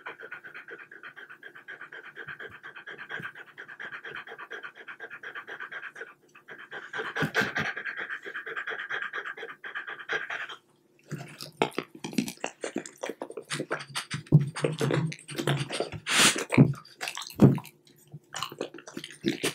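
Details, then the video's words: French Bulldog with treats of chilled or room-temperature boiled chicken cubes; about ten seconds of steady, fast, airy panting, then a burst of moist chewing, smacking and clicking sounds with panting in between. "French Bulldog Eating Chicken Bites"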